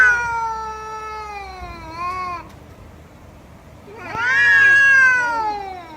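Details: Domestic cat producing two long drawn-out meows, the first slowly falling in pitch, the second louder and rising then wavering, over a faint low rumble.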